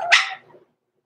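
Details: Single short, harsh yap from a blenheim Cavalier King Charles Spaniel puppy, one of six-week-old littermates Roman and Blue, overnight in the Red Barn Cavaliers puppy pen; the burst fades quickly into quiet.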